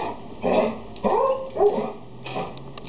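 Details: A Golden Retriever calming down a Labrador; short whining, yelping dog sounds in three bursts within three seconds, with quieter noises afterward.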